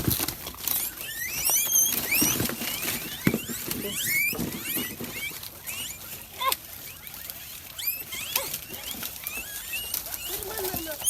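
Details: Reared guinea pigs (cuyes) during pen cleaning and disinfection, giving rapid high, whistled upward-sweeping squeals, repeated irregularly throughout and sometimes overlapping, over rustling, pattering movement and faint voices.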